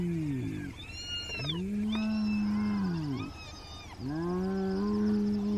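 A hyena calls with low, resonant whoops, each one rising then sliding back down in a smooth arc. The rich, moaning cries follow one another every one to two seconds, with a faint rumble beneath.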